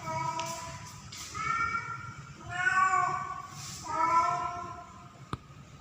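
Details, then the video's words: Female house cat in heat, mating season, calling to attract a male: three slow, drawn-out harmonic meows spaced about a second and a half apart, fading into low background hum with a sharp click near the end. "KUCING BETINA MEMANGGIL JANTAN || Female Cat In Heat Calling Male Cat"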